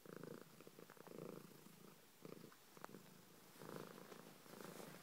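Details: Purring pet cat: rhythmic rumbling phrases roughly every second, alternating stronger and softer breaths, with a faint click midway.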